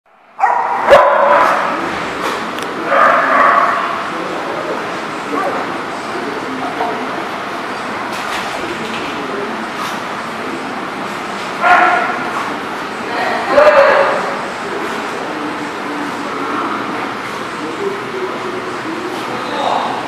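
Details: Dogs at The Barking Lot, 11/09/18: loud, sharp barks come in bursts near the start and again about two-thirds through, over steady chatter of people and general hubbub.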